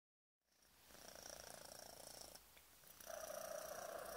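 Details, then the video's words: Five-month-old male cat purring hard while having his tummy tickled: a steady rapid rumbling purr begins after a short silence, and a thin high whistle-like tone joins it in the last second. "whistle purr"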